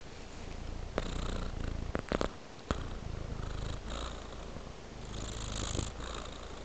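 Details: Domestic cat with fluffy white paws purring indoors: a steady low rumble, broken by a few sharp clicks and rustles between one and three seconds, then smooth purring resumes.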